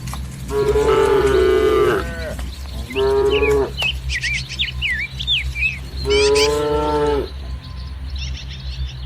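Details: A herd of tame village cattle in lush green paddy fields on a sunny morning gives three drawn-out moos, about a second or more each and spaced a few seconds apart, while small birds chirp between them.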